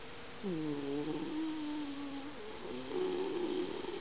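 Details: Miniature Dachshund in deep sleep, body twitching, snoring indoors: a long, wavering, tonal whine-like snore sliding slightly downward, then a second higher wavering snore, steady low room hum beneath.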